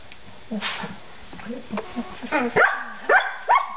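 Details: Collie pups three weeks old, playing: soft scattered grunts and a voice at first, then three sharp, high yelps that slide steeply downward, spaced about half a second apart.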